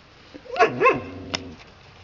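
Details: Red Standard Poodle puppies playing outside with their father; a short yelping bark with a bending tone, followed by a single sharp high yip, over a quiet outdoor background.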